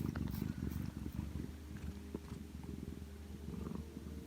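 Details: Domestic cat Macaron dozing on a lazy afternoon produces a low, rapidly pulsing rumble, strongest at the start, then an even murmuring purr; a few faint clicks sound nearby indoors.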